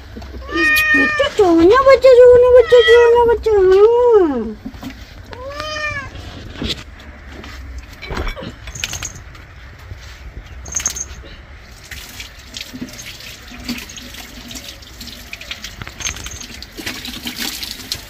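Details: Domestic cat, angry while being bathed, giving long drawn wavering meows over the first four seconds, then a shorter meow, followed by faint splashing and handling noises.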